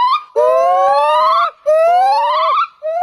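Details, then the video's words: A primate gives two long, clear, hooting calls, each slowly rising in pitch over about a second, with a second overlapping voice slightly higher. "Wonderful sounds of primates"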